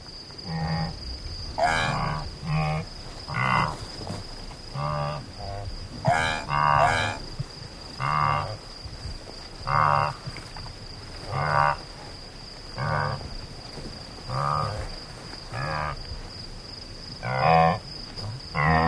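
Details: Antelope calling, a series of about fourteen short, low, harmonic bleating grunts spaced one to two seconds apart, each with a deep base and bright overtones, over a faint steady high-pitched whine.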